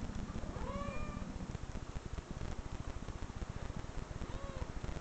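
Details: Cat meows from online videos, replayed to a watchful dog; two arched meows, one near the start and one near the end, sit over loud, pulsing low-pitched noise.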